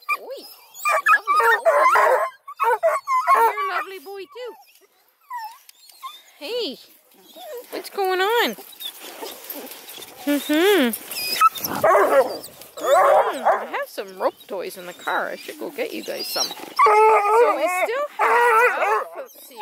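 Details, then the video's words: Noisy group of Bluetick, Redbone and Black and tan coonhound pups near Kingston, Ontario, Canada, in a continuous jumble of overlapping yelps, whines and rough howls, dense and rising and falling, with brief quieter gaps. "Awesome hound crew want to be heard! Blueticks, Redbones, Black & tans"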